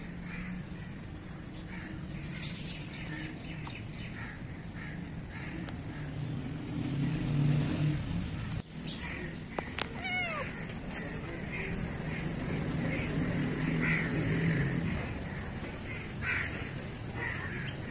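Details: Young black kitten in Pakistan lets out a single high, downward-sliding meow midway through, set against constant low rumbling background noise and scattered faint bird chirps.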